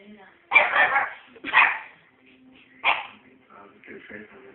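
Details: Scampi Fry, a puppy, on bonfire night: three loud, harsh barks, two close together and then one after a pause, followed by softer yips with faint human speech in the background.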